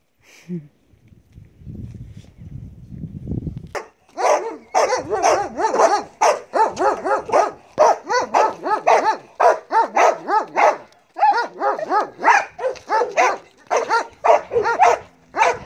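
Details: Belgian Malinois Marley at bite work training; after a few quiet seconds, rapid, forceful barking in a steady run, two to three barks per second, continuing nearly without pause to the end.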